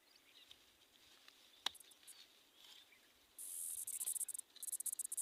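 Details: Small tamra insect, a cricket, singing in the heat of the Vaishakh month, its music likened to the sound of the jungle; after a quiet start a shrill, very high buzzing trill breaks into rapid pulsed bursts.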